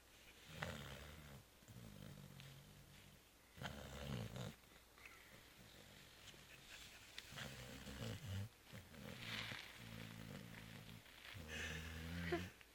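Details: Deeply asleep after the Christmas Eve party and Christmas brunch, the cat Zoé produces rough, growly snores indoors, breaths coming irregularly every one to two seconds with some hissy exhalations between them.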